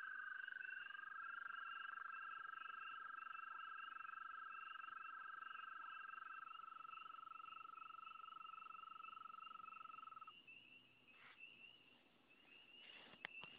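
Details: Continuous frog trilling from the same place, a level high-pitched rapid pulse that stops after about ten seconds, a fainter trill continuing, followed by a few clicks and handling noise.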